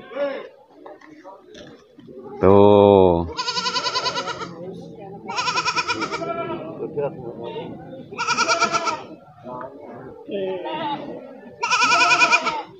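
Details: Goats bleating on a morning at the Pasar Wage livestock market in Wadaslintang, Wonosobo, Central Java, where PE and Jawa randu goats are traded; four loud, wavering, richly harmonic bleats come every two to three seconds over market chatter, after a short low blare.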